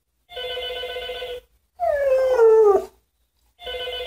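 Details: Lotto, a Siberian Husky, howls whenever the telephone rings. A single falling howl of about one second sits between two bursts of electronic phone ringing.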